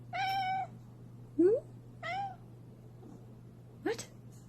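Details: Cat meowing four times in under five seconds: a level, harmonic mew, then short upward-sweeping chirps and a bent mew, with a steady low hum and a person talking nearby.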